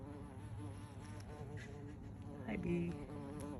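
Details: Close-up buzzing of a big bumblebee in a yard: a continuous low droning hum with clear harmonic layers, pitch shifting gently as it moves, briefly louder near the end.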